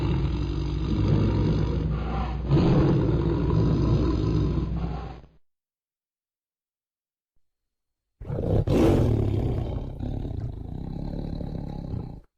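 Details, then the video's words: Deep, steady tiger growl lasting about five seconds, rumbling and throaty, then silence, followed by a sharp loud snarl that settles into another sustained low growl. "sound of tiger growling - tiger sound effect loud"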